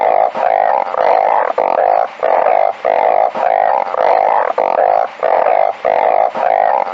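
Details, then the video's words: Many balloon frogs call together, making a steady, reedy drone of overlapping bleats that swell and break off in short pauses roughly once a second. "#เสียงอึ่งเพ้า #ສຽງອຶ່ງເພົ້າຮ້ອງ"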